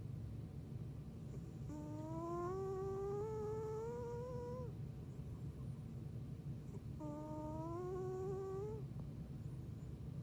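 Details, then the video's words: Athena, a pet cat that has snored since she was a kitten, sleeping with two long whistling snores, each a steady, slightly rising tone lasting about three seconds over a continuous low rumbling breath. "Cat Snoring LOUDLY!"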